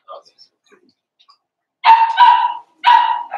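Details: Two loud yipping barks and a short third one from Daisy's four-week-old Cavalier King Charles Spaniel puppies in their pen, after a faint squeak.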